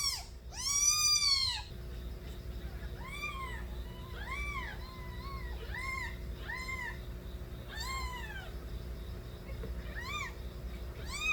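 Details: Kittens crying as they smell their mother Nabi on reunion in a new home, before breast-feeding: one loud drawn-out meow, then a rapid run of small, thin arched mews, roughly four a second, over a low background hum.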